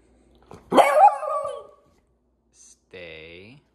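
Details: Six-month-old female Lemon Beagle named Elly barks once on the command to speak while waiting for a sweet potato snack indoors; a single sharp, harmonic bark tails off, followed by a brief click and a short human voice.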